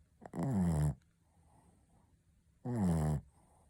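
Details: Shih Tzu Ponta snoring loudly: two long, rattling snores, each under a second, with a strong low droning pitch and rich buzzy overtones, separated by a quiet pause of nearly two seconds.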